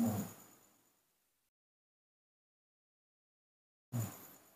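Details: Two dull, fading thumps separated by silence, with no animal voice heard. A faint steady electronic whine sits behind each thump.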